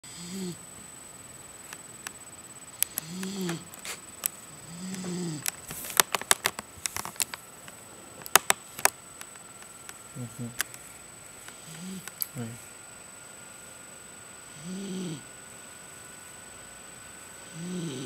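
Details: A sleeping, pregnant female miniature dachshund snores in soft, low, rhythmic rasps with clicks and rustles between breaths.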